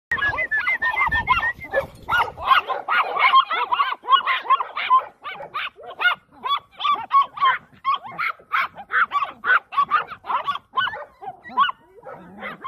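Chihuahuas sound an alarm with shrill, clipped yaps fired off in quick succession, several voices overlapping. A low rumble of background noise sits under the first couple of seconds.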